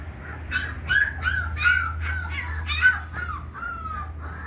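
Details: Twenty-day-old Labrador Retriever pups, three pure-bred females, crying in a run of thin, tonal whines, each about half a second long, repeated roughly every half second, some wavering slightly, with low hum behind.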